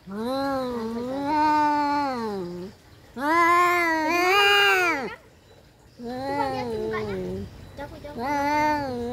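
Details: Fighting domestic cats produce loud, sustained yowls with shifting pitch, four howls in a row over a steady background hiss.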